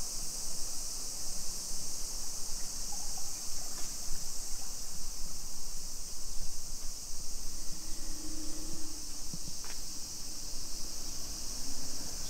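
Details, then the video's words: Japanese summer cicadas at 2 PM on 28 July 2021, suburban Nisshin, Aichi Prefecture: a constant high sizzling buzz behind footsteps, a passing vehicle and a few brief low tonal sounds midway. "Summer Cicadas Sounds"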